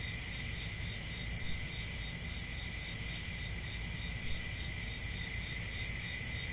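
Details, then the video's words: Crickets on a peaceful country summer night, a steady high shrill trill holding two even pitch bands without a break, over a faint low rumble of background noise. "10 Hours Relaxing Cricket Sounds For Sleeping | Ambient Summer Night Sounds"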